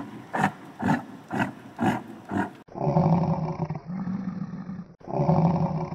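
Domestic yak giving a run of five short, evenly spaced low grunts, then longer, drawn-out deep rumbling grunts. No other sounds stand out.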